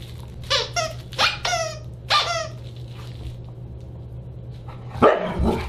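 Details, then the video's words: Siberian Husky at a December 29, 2022 dinner party: a quick series of rising and falling yodel-like yips and short howls, then a loud thud, over a constant low hum. "Husky Dinner Party"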